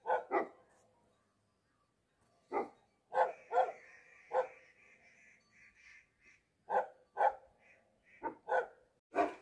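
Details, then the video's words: Bhote dog, a Tibetan Mastiff, barking in loud resounding bursts, pairs and singles spaced by short gaps, with a faint steady tone humming beneath the quieter stretches. "भोटे कुकुरको आवाज कतिको गुन्जिन्छ ! What a resounding voice of a Bhote dog ! Tibetan Mastiff"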